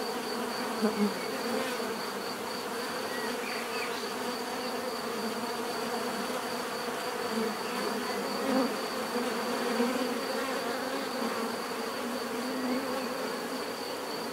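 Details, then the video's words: Bees buzzing steadily in a dense, continuous drone with layered low hum bands and a thin high whine, occasional louder passes of individual bees near the microphone. "bees therapy relaxing natural buzzing sound"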